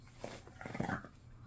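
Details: Shih Tzu mother dog indoors, throwing a tantrum after being told to go over to a family member: a quiet, low grumbling growl lasting about a second, with brief whiny edges, under a steady room hiss.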